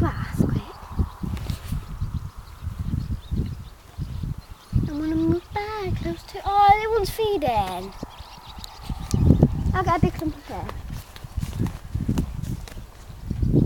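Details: A horse in Wales lets out a shaky, tremulous whinny that wobbles and drops in pitch over about three seconds, then a shorter burst, with dull thumps and human voices in the background.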